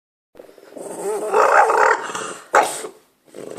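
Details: French Bulldog named Marlo making odd noises at birds: a wavering, whiny grumble with shifting pitch over about two seconds, then a short sharp yelp-like burst, ending with a brief low sound.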